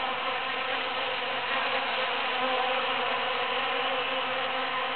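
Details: Bees at work in large cactus blooms following the Super-Full Moon of June 22, 2013, a swarm of wings making a continuous droning buzz with stacked tonal bands that swell slightly midway.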